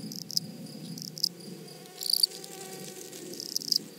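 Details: Grasshoppers in a flowery prairie meadow give brief, scattered dry rasps roughly once a second, the loudest near the middle, against a faint continuous high hum and soft low background noise.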